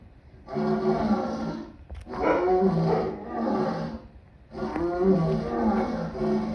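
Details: Lion giving three drawn-out, harsh, rasping roars, each lasting about a second and separated by short pauses, with deep rumbling undertones.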